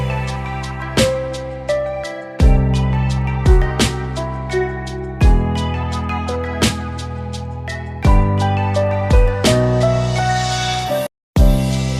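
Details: Soft, slow instrumental music fills the whole stretch, with low sustained tones and gentle struck notes every few seconds. No bird or other animal call can be picked out.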